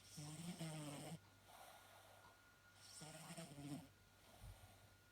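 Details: Mitka, a pet cat, snoring: two soft, rasping, buzzy snores about a second long each, roughly three seconds apart, with quiet breathing between them and a faint steady hum.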